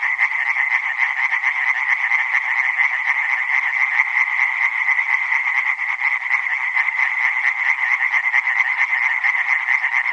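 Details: Chorus of tree frogs: many rapid, overlapping croaks merge into a dense, steady rattling drone that continues unbroken throughout, with no other sounds.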